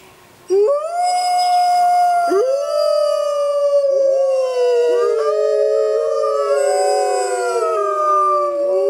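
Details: After a brief quiet start, Arctic wolves from a pack of six begin howling: clear rising onsets sliding into long, slowly falling tones, new voices entering every second or two until several overlap.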